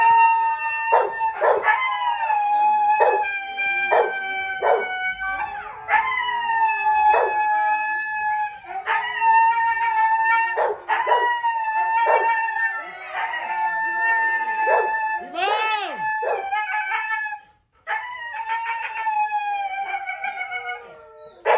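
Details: Red-brown Siberian Husky at breeding, howling in sustained tonal notes that waver and drop slightly, overlaid by frequent loud clicks and taps; one swooping rise-and-fall cry near the end before a short silence.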